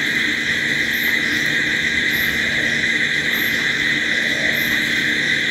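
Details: Crickets calling at night: steady shrill layered trilling, with a very high short chirp repeating about every 1.2 seconds above the constant drone.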